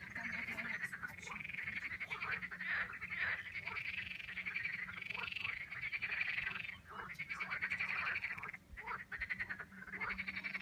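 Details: Frog chorus in the Vistula valley near the Pepper Mountains, Poland: dense, continuous rattling croaks from many frogs overlapping without pause, a brief lull near the end, low rumble underneath.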